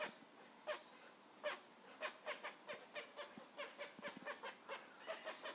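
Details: Squirrel giving a steady series of short, nasal, harmonic yelps, roughly three per second, with faint low thumps underneath.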